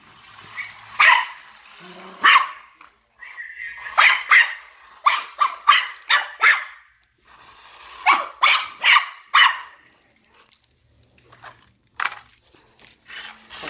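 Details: DJ, a Maltese, barks at a remote-control cop car he chases; rapid series of short, high yapping barks in clusters, separated by brief quiet gaps and light background noise.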